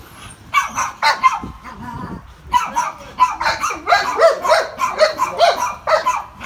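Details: Sid, a Rough Collie awaiting adoption, sociable with other dogs. A run of quick, excited barks and yips, clustered at first, then a brief pause, then a denser burst of repeated barks roughly every half second.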